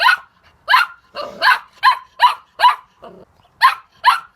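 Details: A handful of shrill puppy yaps spaced unevenly over a few seconds, with a soft grumbling growl between two of them.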